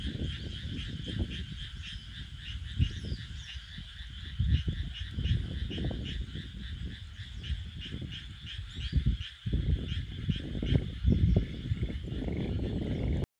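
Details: Frogs in chorus, many callers producing rapid pulsed, rattling croaks that overlap in a continuous shimmering layer, with a rumbling low background of wind or handling noise throughout.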